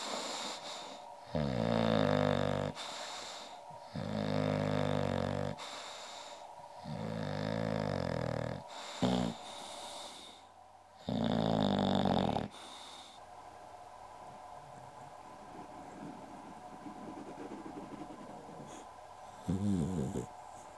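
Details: English bulldog named Goldfinger, also called Uschi, snoring: loud rasping, harmonic snores in five long bursts about every two to three seconds, then quieter breathing with one short final snore.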